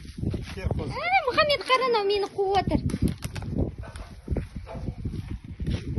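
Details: Orphan lamb in Kazakhstan bleating for its milk bottle at feeding time: one long, wavering, tremulous bleat with rich harmonics, followed by rustling, footsteps and outdoor rural noise.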